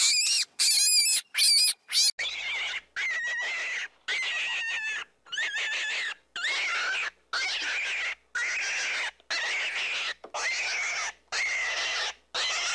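Young rabbits give high, squeaky squeals, repeated about once a second after a few harsh opening bursts.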